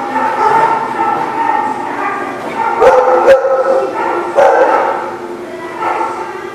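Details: Dogs barking together at a lot on 4/2/18, a dense overlapping chorus of harmonic barks and yelps that runs without a break, with a few sharp louder barks near the middle and end.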